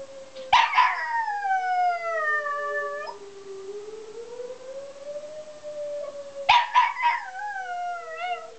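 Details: A pet dog named Cooper, which hates the tornado siren, gives two drawn-out howls about six seconds apart. Each starts sharp and bright, then slides down in a sustained tone, over the continuous undulating wail of the siren.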